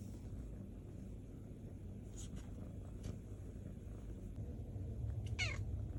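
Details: Hungry kitten purring and meowing: a continuous deep, rumbling purr throughout, faint short high squeaks around two seconds in, then a clearer thin meow falling in pitch near the end.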